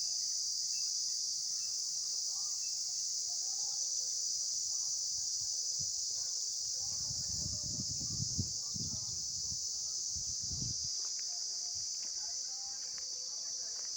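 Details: Insects recorded in the field give a steady, unbroken high-pitched hiss that holds at one pitch throughout, with a brief low, murmuring sound partway through and faint scattered background chirps.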